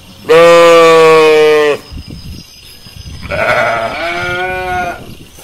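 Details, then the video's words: Sheep bleating in a pasture: one loud, steady, harmonic bleat lasting about a second and a half, followed after a pause by a softer, quavering second bleat. "Som de Ovelhas Som de Animais no Pasto"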